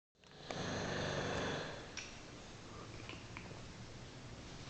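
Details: An English Bulldog at its owner's workplace snores with a loud, raspy, rumbling breath followed by softer noisy breathing.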